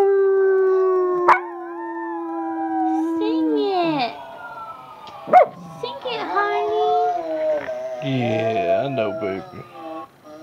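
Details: Harley, a pet dog, howls with his family during an evening session at home set off by videos and a fire truck; a long steady howl fades into mixed voices, human singing and talk, with clapping and music around it.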